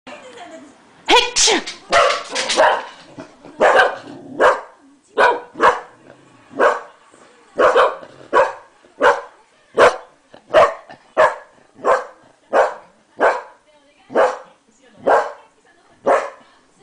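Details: An English Cocker Spaniel barks at its owner in reaction to a sneeze, short sharp evenly spaced barks about one every three-quarters of a second; a brief human sneeze or voice precedes the barking.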